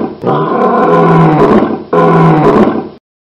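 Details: Tiger roaring twice, each a deep, growling roar with a throaty low rumble under a rough upper tone, the first nearly two seconds long and the second about one second.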